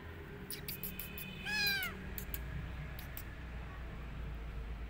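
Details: Single short arched meow from a kitten tucked into a jacket, amid clicking and rustling sounds and a constant low background hum.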